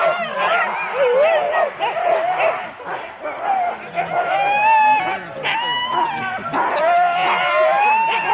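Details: Husky teams of four dogs starting at Rendlesham, January 2016, giving wavering high whines and yelps over a busy background of barking and people talking.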